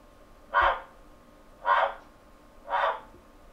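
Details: Captive male giant waxy monkey frog in London calling to attract a female, captured with a computer microphone: three hoarse, clucking bursts spaced about one second apart, evenly repeated, with a steady low room hum.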